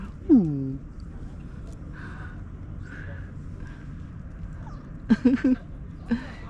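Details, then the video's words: A cat giving its head tilt meow: one short meow sliding downward in pitch at the start, then a quick cluster of brief chirping calls near the end and a final short mew, over a low steady background hum. "Cutest head tilt meow"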